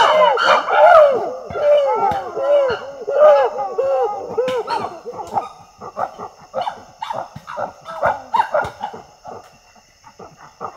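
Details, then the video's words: Screaming among female chimpanzees, Tai Forest, Ivory Coast: bright arched harmonic wails for the first seconds, then fading into rapid choppy pulsed cries and hoarse bursts that thin out toward the close. "Chimpanzee Scream Ambience / Chimpanzee. Screaming Between Females."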